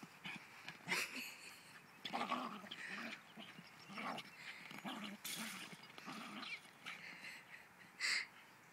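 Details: A Cairn Terrier, killing a ball, barks in quick, sharp, high yaps in uneven bursts over several seconds, with low growls and whines between, and a final loud bark.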